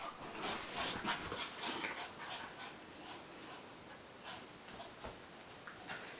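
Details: Play fighting between two visiting pet dogs, the gray Maltichi Cosby and the white Maltipoo Minuet; rapid, fairly regular breathy panting and huffing, about three per second, mixed with soft scuffling, strongest in the first two seconds.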